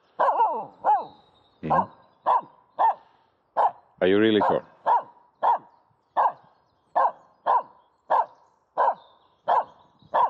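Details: Aamu, a female dog, barks while playing with a stick in an empty horse pen on dry grass: sharp, mid-pitched barks repeated irregularly over ten seconds, with a person's voice talking to her in between.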